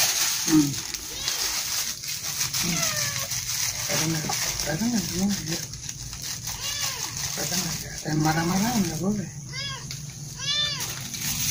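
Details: Kittens eating breakfast: high, arched kitten meows with stacked harmonics come in short bursts, densest near the end, over a woman's chatty speech and wet slurping, splashing food sounds.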